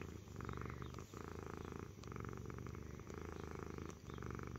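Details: Loud continuous purring from Stitch, a domestic cat, a deep rumbling drone broken by brief breath pauses roughly every second.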